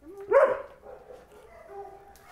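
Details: Domestic dog in a fenced yard barking at the fence toward a dog outside it, reacting to a perceived threat; one sharp, loud bark, then quieter fading sounds.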